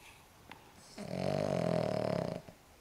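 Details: An elderly Cavalier King Charles Spaniel, aged 14.5 years, lets out a drawn-out snore, a low, rough rattle that holds steady for over a second, after a soft snuffle in an otherwise quiet room.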